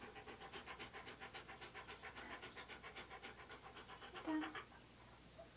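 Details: Siberian Husky named Key, a pet posing in hats and clothing for a photoshoot, panting in quick, even breaths about five per second. The breathing is soft and steady, with one brief louder burst near the end.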